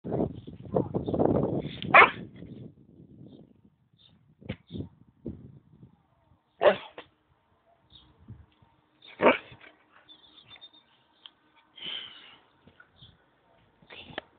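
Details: A pet Huskamute, a husky and malamute cross, barks at home in short, separate loud bursts spaced a few seconds apart, with a rumbling, growly stretch at the start and quiet pauses between calls.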